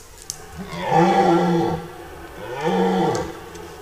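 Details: Red deer stag in September rut, forest: two drawn-out, deep groaning roars, each about a second long and rich in harmonics, separated by a brief pause, with faint background noise.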